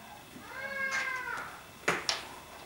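A Bengal cat utters a single long meow, tonal and rich in harmonics, swelling upward and sliding down over about a second. Two brief sharp knocks follow shortly after in a quiet indoor room.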